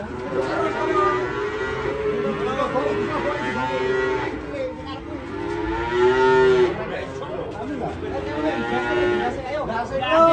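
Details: Cattle coming down from a truck go on a rampage and fall into a ditch, giving a series of moos, each an arching, bending bellow, roughly every two seconds, with a sharper cry at the end and a noisy crowd behind.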